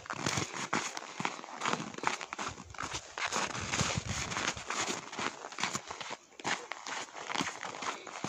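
A cow's heavy footsteps crunch through snow in an uneven, plodding rhythm.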